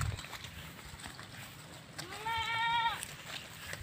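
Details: Goat eating grass outdoors, giving one wavering, nasal bleat of about one second, rich in harmonics, over steady outdoor background noise and a high continuous tone.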